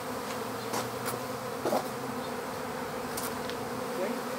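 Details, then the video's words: Captured honeybee swarm at an empty hive: a softer continuous hum of many bees underlies sharp clicks and taps scattered through the recording. "How to Capture a Honeybee Swarm"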